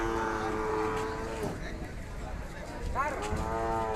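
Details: Calf giving two moos, a long steady low-pitched one followed by a shorter rising-then-falling call after a pause, over low background noise.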